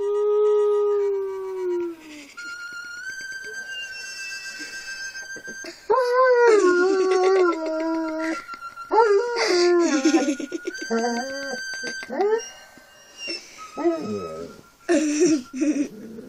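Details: Dog howling along to the song Lonely Boat, drawn-out wavering howls sliding up and down in pitch, some long and steady, others breaking into short rising yelps, with the song's music playing underneath throughout.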